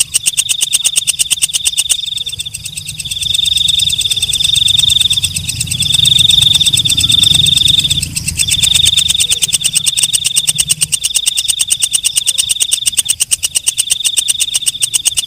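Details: Night katydid (walang kecek) chorus: a fast, high ticking buzz with smoother, louder trilled bursts layered on top, suggesting more than one singer. A low rumble lies underneath through the middle section.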